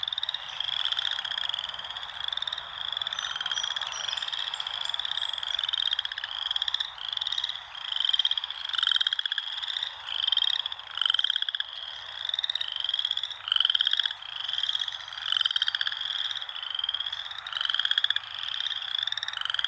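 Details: Several frogs in nature keep up a continuous chorus of shrill, rapidly pulsed trills, each about a second long. The trills swell and overlap in steady waves, with a lower buzzy band beneath and nothing else clearly audible.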